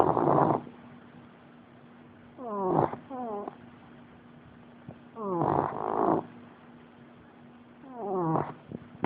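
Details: American Bulldog asleep and snoring, with loud buzzy, fluttering snores in rhythmic bursts about every three seconds, some with sliding harmonic tones, quieter breathing gaps between them, and a constant faint background hum.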